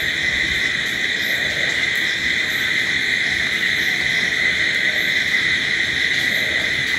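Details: Crickets at night: a dense, unbroken insect chorus of steady high shrill tones, layered in several even bands, with no pauses and only faint low rumble beneath.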